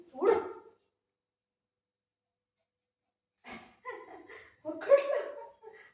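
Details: Milo, a pet Shih Tzu at home with its mummy, gives one short, loud bark. After a silent pause, a person talks.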